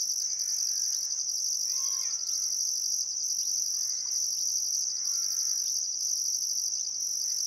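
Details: Crickets chirping at sunset along the Barcoo River in Outback Queensland's Welford National Park on a still summer afternoon; an unbroken high trill with rhythmic pulses, joined by short harmonic bird calls every second or so.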